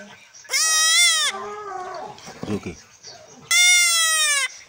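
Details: Male goat kid, three weeks old, bleats loudly while undergoing castration: two long, strained, quavering cries about three seconds apart, with softer falling sounds and clicking in between.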